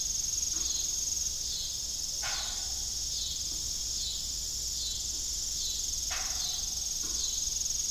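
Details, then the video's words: Rural evening ambience of crickets near a rusty, broken farm windmill, their shrill chirps pulsing evenly and without pause, with a few soft broadband clunks in the background. "Evening Cricket Sound"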